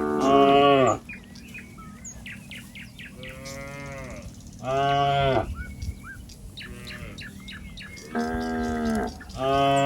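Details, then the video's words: Cattle wandering a wet rice paddy, calling in search of its mother: short, loud moos about a second long, spaced irregularly, with birds chirping and twittering in the gaps and a low steady hum. "Suara Sapi Sedang Mencari Induknya"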